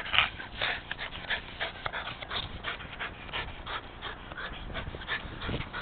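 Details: A rescued Rat Terrier called Jack breathes hard while playing his favourite game of fetch. Short airy pants come in a fairly steady run of rapid puffs, with light handling noise underneath.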